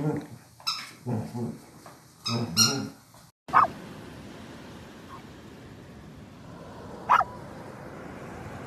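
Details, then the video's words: Ruby Cavalier King Charles Spaniel: a few rough barks and whimpers early on, then two short sharp yelps spaced about four seconds apart over a quiet background; a person exclaims just before. "Cute Cavalier King Charles Spaniel Barking and Howling - Ruby Cavalier Howl"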